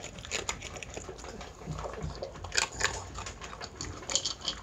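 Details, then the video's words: Dog food crunched by Chi-chan, a Miniature Pinscher, at mealtime: sharp broadband bite cracks and softer chewing clicks come in uneven bursts, with a few louder crunches near the middle and end, in a small quiet room. "ドックフード 食べる いい音 ミニチュアピンシャー Miniature Pinscher meal video"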